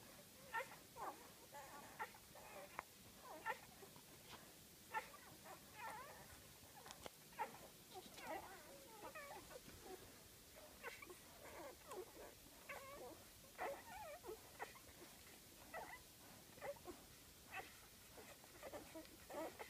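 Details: Litter of eight golden retriever puppies, five days old, born September 17, giving many short, overlapping high squeaks and whines in quick succession, several pups calling at once.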